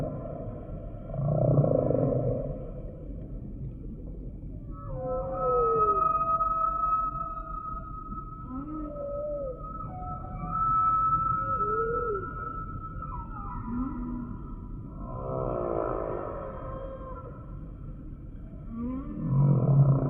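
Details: Humpback whale singing a varied series of units: short upswept and arching squeaks, a long steady high tone held for several seconds, and rumbling low pulses between phrases, all over a constant low watery background.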